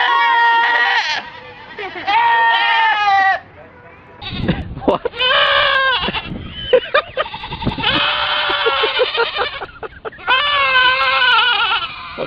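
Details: Goats bleating repeatedly with long, strained, scream-like calls of one to two seconds each, around five in total, interrupted by bursts of human voices and handling noise.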